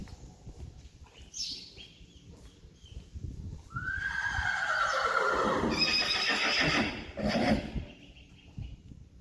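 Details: Two Friesian horses pulling a carriage and trotting through water, June 29, 2019: a loud whinny starts high and slides downward over about three seconds, amid splashing and hoof sounds.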